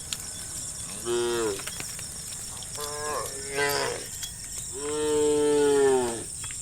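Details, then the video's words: Dozens of tame cows roam a road, calling their friends to go find grass: three clear harmonic moos, the first two shorter and falling, the last long and level, with a faint steady high tone behind. "the sound of the cows calling their friends to look for grass"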